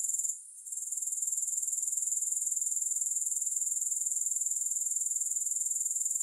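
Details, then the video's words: Grasshoppers calling with no music: a sharp, high-pitched pulsing trill that falters for a moment just after the start, then returns and runs on evenly at about four pulses per second. "Grass Hopper Sounds"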